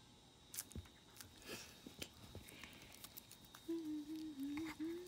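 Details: A female Chihuahua playfully mouthing a person's hand. After soft scuffling and chewing sounds, one sustained, wavering whine holds steady for over a second at the end.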